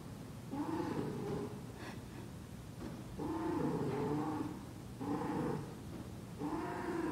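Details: Persian cat in heat making a long series of low, throaty, droning yowls in drawn-out bouts with brief pauses between, sounding like a continuous moaning cry.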